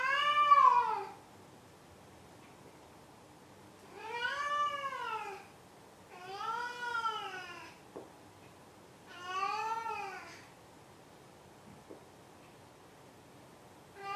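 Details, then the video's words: A pet cat gives four loud, clear meows, each about a second long with an arched, rising-then-falling pitch, separated by short pauses in a quiet indoor setting; a couple of faint clicks. "鳴くねこ５。 Meow Meow"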